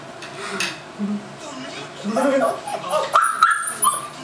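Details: Seven-week-old Tibetan Mastiff puppy at Himaldog Kennel giving short, wavering high whines that rise and fall, with a sharp squeaky note near the end, amid human voices and background clatter.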